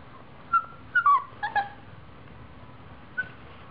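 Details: Siberian Husky puppy named Mercedes barking while playing around: a quick run of short, high, tonal yips clustered near the first second and a half, then one more brief yip after a pause, over a quiet indoor background.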